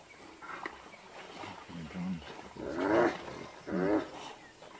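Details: Two hyenas fighting to the death; short harmonic cries rise and fall, two loud wavering squeals near the end after lower grunting bursts, over a rough noisy background.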